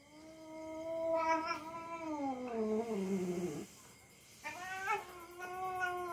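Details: House cat tussling playfully with a young dog: a long continuous yowl sliding steadily downward into a low growl, a brief pause, then a fresh higher wavering cry rising again.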